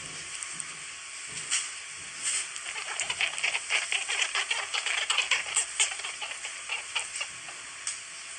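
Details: Newborn rabbit kits, 1 to 10 days old, give rapid, faint, high-pitched squeaks and clicks in an irregular patter, made when they are touched or when the mother comes to nurse them.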